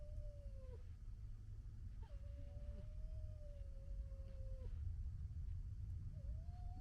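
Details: A vixen gekkering at another vixen, February 2022: three drawn-out, wavering whines held at a steady mid pitch, each ending in a sharp downward drop, over a constant low rumbling background.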